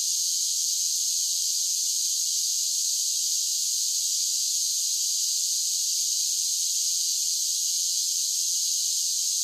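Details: Steady shrill drone of cicadas singing in summer, a constant high hissing buzz at unchanging volume, with only a faint low background murmur beneath.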